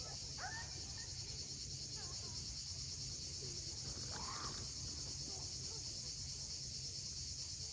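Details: At sunset on Crimea's steep Cape Fiolent coast, a continuous shrill cicada buzz fills the air. Brief chirping bird calls rise above it, and the sea rumbles low in the background.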